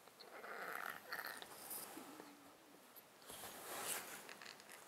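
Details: Congested breathing of a sleeping male domestic cat in a box, snotty from a long-term underlying disease that also makes him sneeze constantly; close-mic recording with two hissing, rasping breaths a few seconds apart and faint snuffling in between.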